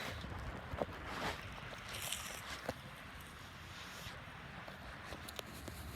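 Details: Boat engine rumble and wind noise with scattered clicks and knocks, with no animal calls.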